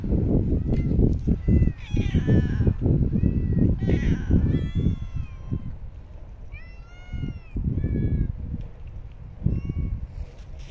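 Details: Several street cats gathered for feeding, meowing repeatedly and overlapping, with short rising-falling meows, many high mews and busy rustling and crunching sounds throughout, over low outdoor rumble.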